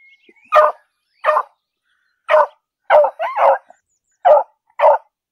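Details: An English beagle gives loud, sharp barks in short bursts, some doubled into quick two-note yelps, while out walking in a city park.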